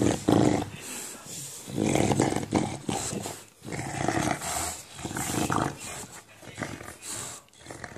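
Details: English bulldog making a monster-like sound while playing with a tennis ball indoors: rough, throaty growling in uneven bursts, rising and falling in loudness, with occasional higher whining tones.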